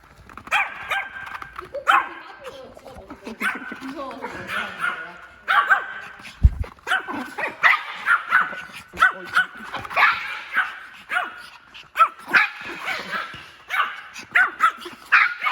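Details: Excited Maltese puppy, born May 2019, visiting a forest in Okcheon, South Korea, barks repeatedly in short bursts throughout, mixed with human chatter and outdoor rustling.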